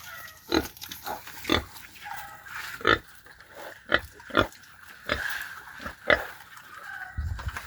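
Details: Native pigs being fed madre de agua give short, rough grunts and squeals in bursts about once a second, with a few low thumps near the end.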